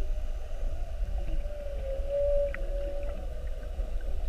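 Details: Underwater whale call recorded during a mugging, whales spy-hopping around a whale-watch boat on the 7:30 trip of 21 February 2019: one long, steady mid-pitched moan that swells briefly in the middle, over a constant low rumble of boat and water noise.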